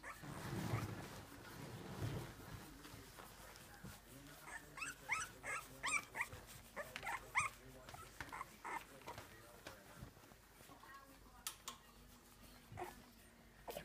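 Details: Three-week-old Boston Terrier puppies learning to walk give thin, high-pitched squeaks and whines in quick, irregular bursts, over soft thumps, rustling handling noise and a faint murmur of voices.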